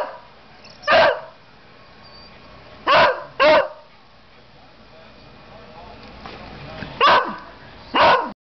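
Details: Dog barking to get a treat. Five abrupt barks come at uneven gaps, two close together near the start and two near the end, over quiet room background.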